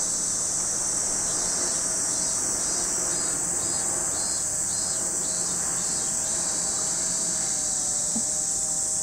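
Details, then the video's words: Cicada chorus by Lake Kamo, Sado City, Niigata Prefecture, Japan: a steady piercing high drone fills the whole recording, with a rhythmic pulsed buzz underneath during the middle seconds. "Lake Kamo in Sado City, Niigata Prefecture, Japan, where you can hear the voice of cicadas."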